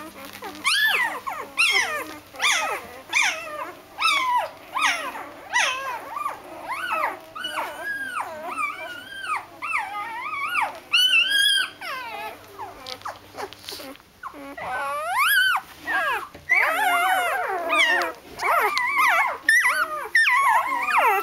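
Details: A litter of Doberman puppies settling down to sleep: loud, arching whimpers and yelps follow one another rapidly, several pups calling over each other, with short pauses and a faint hum in the background.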